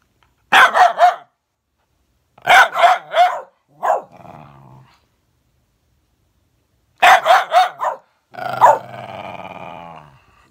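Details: Bedlington whippet versus Patterdale, dogs letting out quick volleys of three or four snapping barks that trail into low rumbling growls, with silent pauses between bouts.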